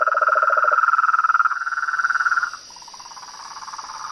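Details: Sapos, rãs and pererecas — toads, frogs and tree frogs — calling in nature: fast pulsed trills overlap, a lower rattling trill dropping out early while a higher buzzing trill continues, then a softer trill, with a steady high insect hum behind.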